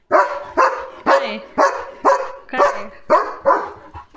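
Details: German Shepherd named Leo in guard mode as a parcel arrives at home, barking in a steady series of eight sharp barks about every half second, a Marathi-speaking voice nearby.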